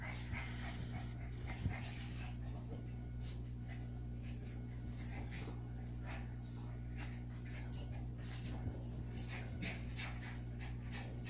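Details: A Shih Tzu and a Havanese dog playing together indoors, giving soft whimpers and scuffling bursts at irregular moments over a steady low electrical hum.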